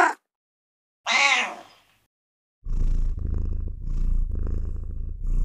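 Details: Cat giving one drawn-out harmonic meow near the start, followed by a steady low rumbling purr that pulses in several long waves to the end.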